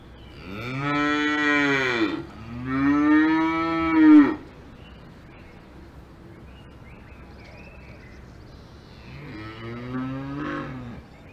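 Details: Cows mooing on a farm in the Alps: two long, loud, harmonic moos back to back in the first four seconds, then a quieter third moo near the end after a lull of faint background noise.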